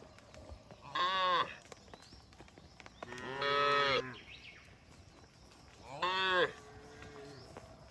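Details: Cattle in a herd wandering along a road moo three times, roughly every two and a half seconds; each call is a harmonic, slightly wavering low bellow, the middle one longest, against a quiet background.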